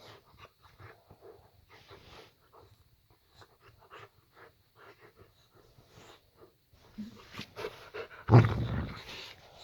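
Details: Layla, a pet Boxer dog, pads into the bedroom at bedtime while her owners watch a film in bed; soft repeated breaths and sniffs build to a sudden loud, low, rough growl near the end, indoors in a small room.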